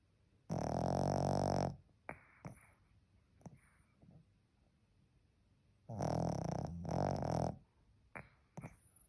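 A Pekingese snores with loud, raspy, rattling breaths about five seconds apart.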